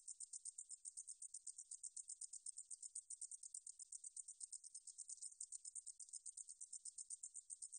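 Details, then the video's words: Meadow katydid (등줄어리쌕쌔기) from a 2020 National Institute of Biological Resources recording. It sings a very high, dry, buzzy stridulation of rapid pulses, about six per second, with steady rhythm throughout and no other sounds. "등줄어리쌕쌔기, 여러번 듣기, 곤충소리"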